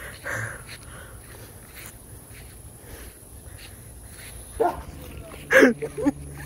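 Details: Dog barking outdoors in a garden with insects nearby: after a quiet stretch of faint rustling and a steady high insect hiss, three sharp, short barks ring out, the middle one loudest, a second or less apart.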